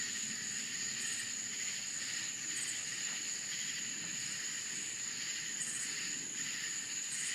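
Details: Nighttime cricket chorus from rural Florida, a continuous shrill ringing note held without break, beneath it a rhythmic throbbing buzz, and short higher flares recurring every second or so; a constant, dense insect backdrop.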